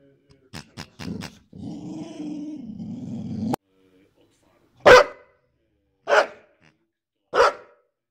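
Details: Boryś, a Boxer dog, reacts to his new piggy toy. Quick yips open, then a two-second rumbling growl, then three loud, sharp barks spaced more than a second apart, with silence between.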